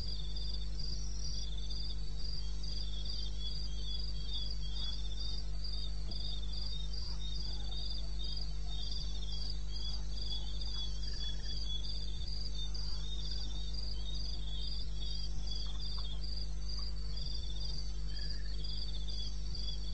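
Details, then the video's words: Eastern Botswana wilderness at night, 2:30 AM on 21 May 2016: crickets trilling continuously in rapid high pulses, several callers overlapping at slightly different pitches, over a persistent low background hum. "1 Hour cricket sound"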